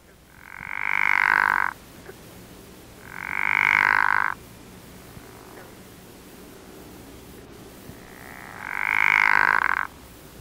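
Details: Pickerel frog (Rana palustris) mating call: three low, snoring, rattling croaks, each about one to one and a half seconds long and separated by gaps of one to four seconds, over a quiet background.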